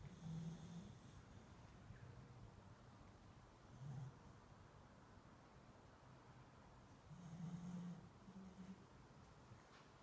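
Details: Sleeping beagle snoring softly indoors: low, rumbling snores come in three irregular bouts, one at the start, a short one near four seconds and a longer one later, over a steady faint background hiss.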